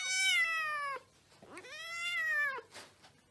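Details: Domestic cat giving two drawn-out, richly harmonic meows, each about a second long, the pitch holding steady then sliding down at the end, with a short quiet pause between them and a faint scratchy noise afterward.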